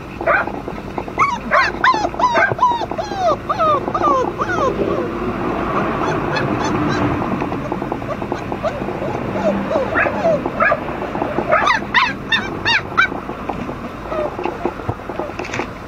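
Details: Several Flat-coated Retriever puppies, siblings, whine and yip together. There is a busy overlapping stream of thin arching squeals and sharp high yips, with a short quieter murmuring stretch in the middle before the yipping resumes.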